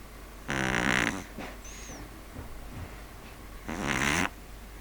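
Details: Loud snores from a pug asleep. Two long, rough, rattling inhalations come about three seconds apart. Softer breathing noises and a brief faint whistle fall between them.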